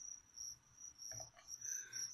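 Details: Live crickets offered as food to a pet leopard gecko chirp in high, pulsed bursts, pausing briefly midway, where a few knocks and handling noises break in.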